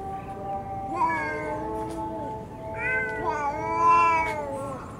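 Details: Cats in a park where rival cat families are fighting: drawn-out, wavering meows and caterwauling, one long call followed by a louder rising and falling yowl, over background hiss.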